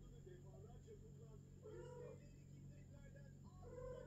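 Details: Female cat mating for the first time with golden British longhair and silver British shorthair cats; two short, strained wailing meows sound faintly through a loud low-pitched hum.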